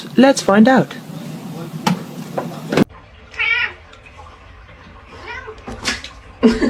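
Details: House cat producing quick, wavering meows at the start and another short plaintive meow midway, mixed in with people talking and household clatter.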